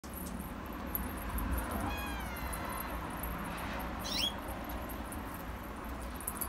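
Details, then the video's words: Orange Himalayan cat giving a single drawn-out meow that falls slightly in pitch over about one second, set against a steady low hum and faint room noise, with a brief high squeak soon after. "Himalayan cat orange"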